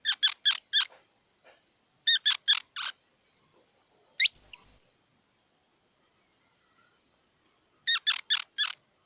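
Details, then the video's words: A squirrel calls in four clusters of rapid, sharp squeaky chirps, three or four notes each. Between them comes a sudden upward-sweeping note followed by high, thin whistled squeals. The background is quiet. "សំលេងដង្ហែន Squirrel 🐿️ Sound"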